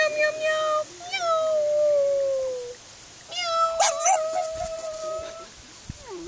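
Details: Pug meowing together with its owner as if imitating a cat: two drawn-out, even, nasal wails of about two seconds each, then a brief low whine, with some clattering noise in between.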